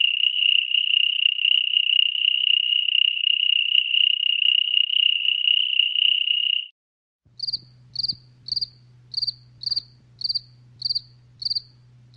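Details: Cricket sound, first a continuous high trill for about six seconds, then after a short gap a series of separate sharp chirps repeated roughly every half second over a steady low hum.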